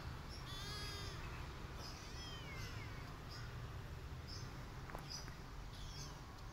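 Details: Kittens with their mother cat, which hits them after they bite her while nursing; two short high, wavering mews over steady low background hum, with faint bird chirps.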